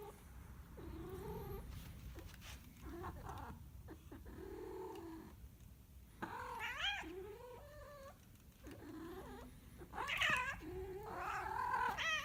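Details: A cat wails in long, pitch-bending yowls, softer and spaced at first, then louder and more strained toward the end, above a low background hum.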